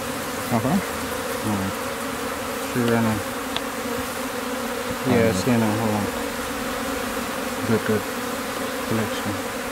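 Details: Africanized honey bee swarm being removed from an old outhouse in Campbelville, Georgetown, Guyana: a steady, dense droning hum holds throughout, broken by short bursts of human voices every couple of seconds.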